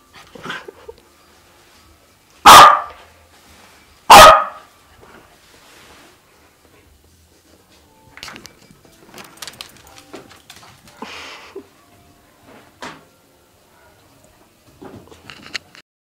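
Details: A three-year-old male Sealyham Terrier, originally from a puppy mill, excited about chasing tennis balls, gives two sharp, loud barks about two seconds apart, followed by quieter rustling and knocking sounds.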